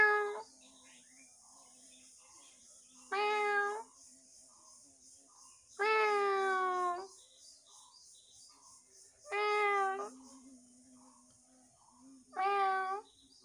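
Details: Pet cat in a home meowing five times, roughly every three seconds, each call a loud harmonic wail lasting about a second, with faint background hum between calls.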